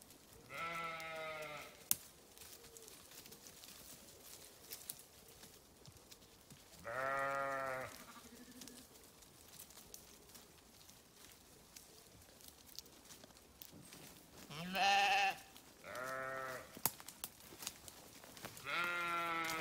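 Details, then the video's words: Sheep bleat repeatedly, several animals calling at different distances: loud quavering baas at irregular intervals, a couple in quick succession near the end, with soft rustling and background hiss between calls. "Sheep Sounds"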